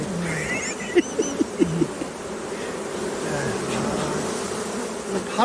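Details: Honey bees from a beekeeping operation, a dense steady hum of many wings filling the low-mid range, with a few short tonal blips near the one- and two-second marks.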